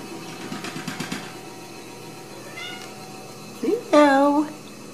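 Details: ["Ragdoll kittens raised indoors without cages at a home cattery in central Kansas, greeted in the morning; a woman's soft voice, then a short rising-falling meow near the end."]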